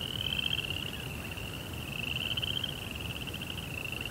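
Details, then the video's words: High, buzzing cricket trill at night in a Japanese Zen garden with koi pond, the rapid pulses swelling and easing slightly in loudness, accompanied by a fainter lower band and quiet low rumble. "Cricket Sounds"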